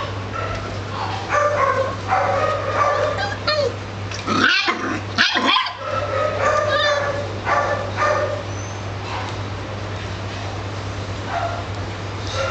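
An Italian Greyhound gives a run of short, high, whiny barks and yips over a steady low hum.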